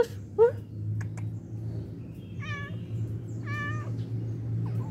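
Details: Stray cats on the street asking for food right after someone comes; a sharp knock is followed by two clear, level, strongly harmonic meows about a second apart over a low background hum.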